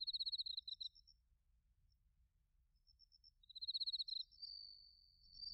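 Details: Bell crickets and other crickets chirping on an autumn night in Narita, Chiba, Japan, captured with a TASCAM Portacapture X8: bursts of high, rapidly pulsed chirps, a pause, then another burst ending in a smooth ringing trill, with fainter, higher ticking callers behind.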